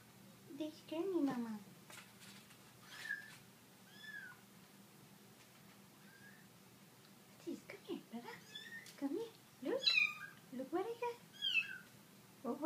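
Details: Small kittens discovered by Prada, an Italian Greyhound, let out repeated high, wavering mews in short bursts, mingled with a woman's chatter and soft room noise.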